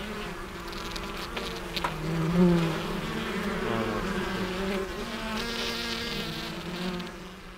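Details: Western honey bees humming around apiary hives at the close of the season's first inspection; a dense, even buzz with pitch that slides a little as insects pass close, plus a few dry taps.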